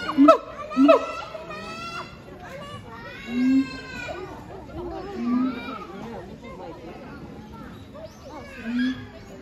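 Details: Captive siamangs Heart and Brave duetting at Chiba Zoological Park on 12 November 2022. Two quick loud barks with short booming hoots open the clip, then softer low hoots return every two seconds beneath crowd voices.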